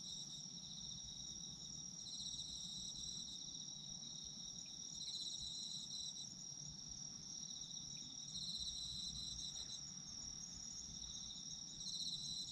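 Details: Autumn insects in a night-sleep ambience: a steady, high, ringing tone runs throughout, overlaid by a lower pulsed trill that swells in bursts roughly every three to four seconds, with soft background hiss.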